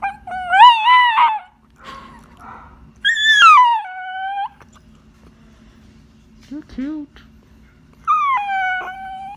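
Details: Whippet/Labrador mix service dog, trained as a Seeing Eye and search-and-recovery dog, rarely vocal, howling to alert to unfamiliar people at the door. Three long harmonic howls that bend and waver, with a short low yelp between, over a faint steady hum.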